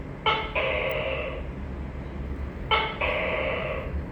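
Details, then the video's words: Two tokay gecko calls about two and a half seconds apart, each a quick sharp note followed by a longer, buzzy, harmonic syllable lasting nearly a second, over a steady low hum. "Tắc ke và tiếng kêu gecko tukay leopard cute"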